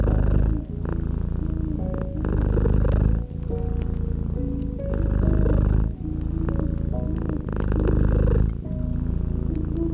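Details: Domestic cat purring, nestled by a gently crackling fireplace in a cozy winter setting. A deep rumbling purr swells and fades in breath cycles of about 1.5 seconds, with soft fire crackles and quiet melodic music tones throughout.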